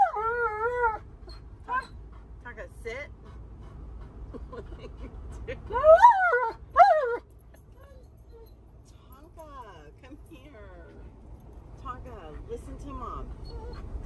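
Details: Refusing to sit and wear his seatbelt, Alaskan Malamute Tonka argues back with wavering, yodel-like whines, opening with a long warble and peaking in two loud moaning howls around the middle, amid a woman's scolding speech.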